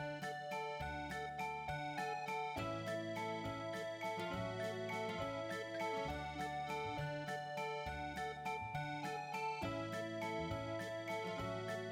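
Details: Cheerful electric piano background music plays steadily throughout, with no cat snoring or other animal sound standing out.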